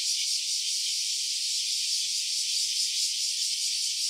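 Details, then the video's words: Softer, continuous cicada buzz captured in stereo, a dry, hissing rattle at steady volume with light irregular pulsing and nothing else audible. "Cicada's voice. Stereo version."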